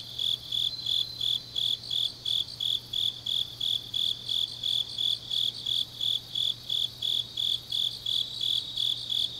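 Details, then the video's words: Grass insects singing at night in autumn in Changnyeong, South Korea; bright, high chirps pulse about three times a second in a regular beat, overlapping callers and a soft steady hum in the background. "깊은밤 가을 풀벌레 소리"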